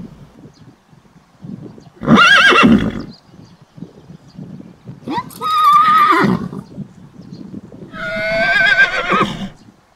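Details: Young horse colt neighing three times, each whinny about a second long with wavering harmonics, separated by quieter low rumbling and shuffling sounds.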